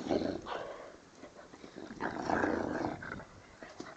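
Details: Bernese Mountain Dog eating a bone, giving rough rumbling growls, one burst at the start and a longer, louder one around the middle, while a person nearby asks in Spanish for the bone.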